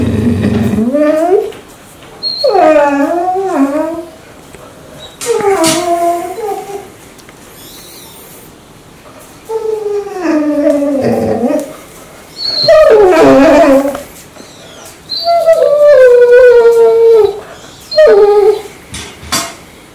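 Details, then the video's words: Mansu, a dog that wakes its owner every morning with a strange sound, sleeping indoors with the air conditioner on in hot weather: wavering, moaning howls with sliding pitch, delivered in bursts of one to two seconds separated by short pauses. "아침마다 알수없는 소리를내며 주인을 깨우는 강아지"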